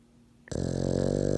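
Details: Pet French bulldog/pug named Pawz asleep with its eyes open, giving one loud, rasping, throaty snore that starts abruptly after a short quiet moment and holds steady, rich and buzzing, to the end.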